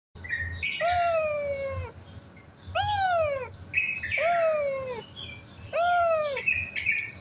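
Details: Mother cat lying over her kittens, meowing four times in long, richly harmonic calls that rise briefly then slide down, roughly one and a half seconds apart, with higher, thin chirping squeaks between them.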